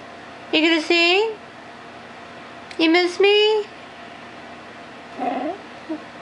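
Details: Bailey, a male Chihuahua who lived to 16, gives two drawn-out wavering yowls, each about a second long with a rising-then-falling tone, followed by a softer short whine, in a quiet indoor room.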